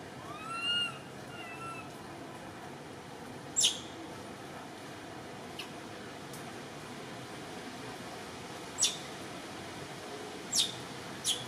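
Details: Frightened crying of Cody, a baby temple monkey in Cambodia left alone in a tree without its mother: an arched wailing note, then a fainter one, followed by scattered sharp clicks over constant background hiss.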